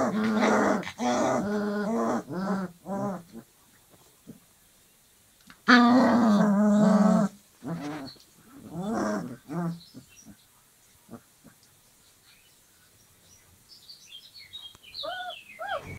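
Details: Playing Dogo Argentino puppies at 25 days old; rapid growly yaps in bursts, a longer harsh growl midway, then quieter grumbles and a few high whimpers near the end.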